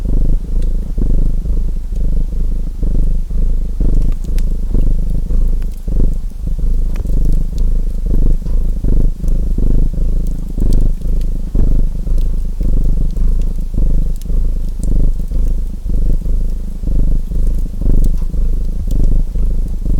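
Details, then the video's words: Relaxing pairing of a purring domestic cat and a chimney fire: a constant low rumbling purr in rhythmic breathing swells about once a second, overlaid by frequent sharp pops and crackles of burning wood. "Purring Cat Sounds"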